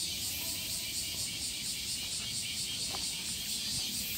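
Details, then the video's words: A Japanese evening cicada gives a continuous high, shrill buzz broken into rapid, even pulses, over a steady low background rumble like distant traffic. "cicada in japan"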